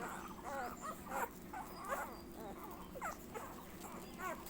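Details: Labrador Retriever puppy at the milk, uttering brief curling squeals and whimpers every half second or so, some louder peaks, over faint rustle and a steady low hum.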